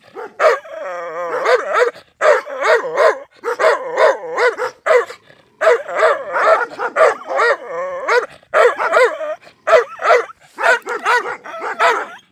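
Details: Angry white Rottweiler barking and growling: harsh, rough barks in bursts of two to four, with wavering growled tones between them, repeated steadily through the clip with short silent gaps, no other sounds.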